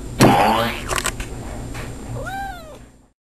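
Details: Tabby cat talking while posing, a clear arched meow that rises then falls over about half a second, preceded by rustling and thumping handling noises.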